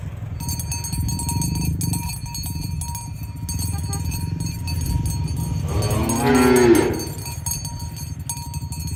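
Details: A herd of tame cows being driven toward the pen in the morning along a village road. One short, drawn-out moo rises out of steady trampling and shuffling, while metallic cowbell tones ring throughout.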